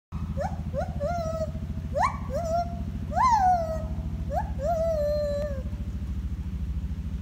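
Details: A gibbon at Salzburg Zoo sings early in the morning, giving a series of rising, swooping whoops over a steady low rumble.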